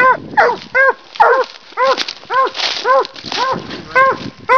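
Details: Hunting dogs, a walker hound and a leopard hound, barking at a raccoon treed in a big fork: about nine ringing, arched bawls in quick succession, roughly two per second, with slight overlapping between the two dogs.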